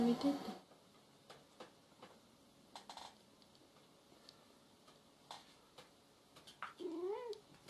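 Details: A jealous house cat lets out a brief wavering meow near the end, after a loud thump at the start and quiet clicks and rustles indoors, with people talking.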